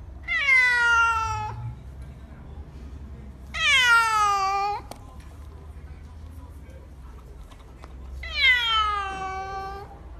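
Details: Three drawn-out cat meows spaced roughly three to four seconds apart, each bright and strongly harmonic, starting high and sliding gently downward before cutting off, with a steady low hum underneath.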